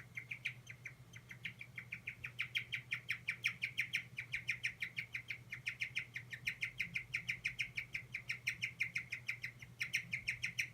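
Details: Stressed pet guinea pig giving its 'kyu kyu kyu' cry: a long run of short, high, squeaky notes, about five per second, slightly irregular with brief pauses, over a steady low hum.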